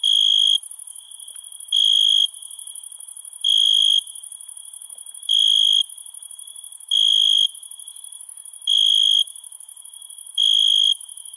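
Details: Cricket calling after dark: seven regular bursts of shrill trilling, each about half a second, set against a constant high-pitched background drone of insects.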